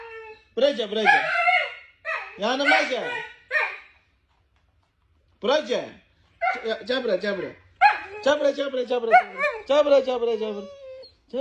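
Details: Husky vocalizing in a long talkative sequence of bending, looping yowls and whines, pitch swooping up and down, delivered in bursts with one longer pause midway; no other clear sounds.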